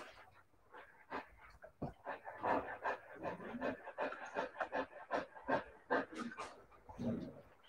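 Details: Siberian Husky puppies giving a busy run of short whimpers, yelps and yips, many overlapping calls repeated roughly two to three times per second, some pitched and whiny, with panting-like breaths between.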